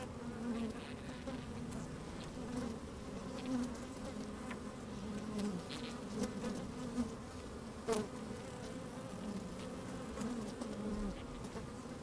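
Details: Inside an open beehive on a fine sunny day, bees bustle about with a microphone slid among them; a steady, even hum of many bees with small wavering tones and occasional clicks and taps.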